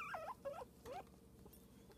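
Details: Cosmo, a pet guinea pig, gives three short squeaks within the first second, each wavering up and down in pitch with bright overtones, followed by near quiet with faint room noise.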